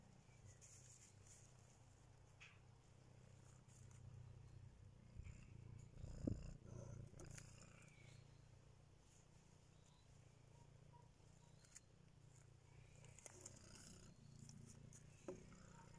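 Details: Three-week-old kittens: steady low rumbling purr throughout, with faint scattered high squeaks and a brief louder bump around six seconds.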